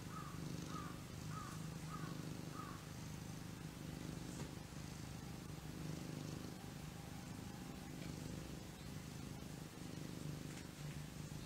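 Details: A domestic cat, called the laziest in the world, purring in a steady low rumbling drone throughout, with a few faint chirping calls near the start.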